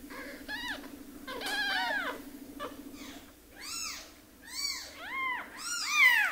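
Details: Orphaned baby kitten, one of two taken in after losing their mother, crying indoors: a series of high, arched mewing cries, growing louder and more frequent toward the end, over a steady low hum.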